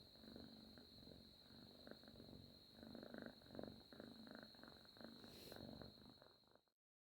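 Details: Sleeping cat lying on its owner's arm, giving soft, rough snoring breaths in quick rhythmic pulses, roughly two per second, over a constant faint high-pitched hum; the sound cuts off abruptly at the end.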